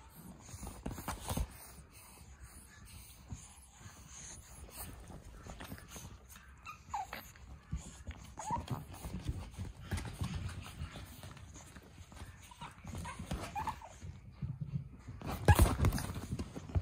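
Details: A male pug puppy born on 8 September gives soft, thin whimpers and squeaks over low rustling and handling noise.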